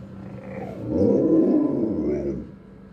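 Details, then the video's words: Five-year-old pet Doberman making a low, rough, growly moan that swells then fades over about two seconds, like wolf-style talking; a man's voice follows, asking what is up. "Doberman Talking Like Wolf"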